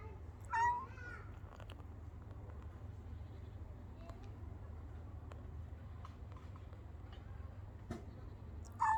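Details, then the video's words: Brown and white female cat voicing a wavering meow early on, then quiet apart from a low background hum, before another short meow cuts in at the very end. "חתולה לבנה חומה משמיעה קולות A brown white cat making a sound"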